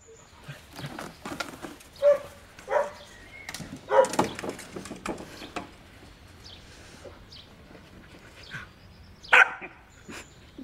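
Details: Playful Corgi barking in quick, uneven bursts, mixed with higher yips and whimpers, the loudest bark coming near the end.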